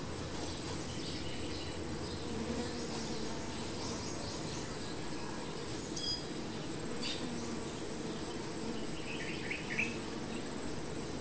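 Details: Honey bees at the hive make a constant low buzzing drone throughout. Near the end, faint high chirps flicker above it, and a fine high whine holds steady over everything.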